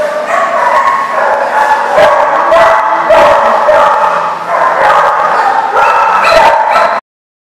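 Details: Numerous dogs barking and yipping at once, recorded 8/1/14; continuous layered barking with occasional higher whiny yelps, ending abruptly after about seven seconds.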